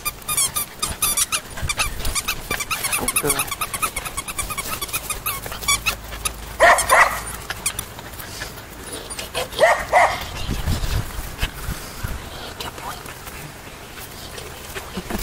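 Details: Poodle puppies yapping in quick, squeaky bursts during the first few seconds. Brief voices are heard in the middle, then quieter rustling follows.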